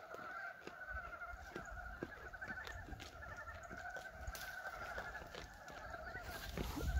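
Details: Many frogs croaking together in early spring, 19 February 2023, on a warm day at a farm; the year's first calls. Continuous rapid pulsed croaking in two layered bands, with scattered knocks and a rising rustle at the end.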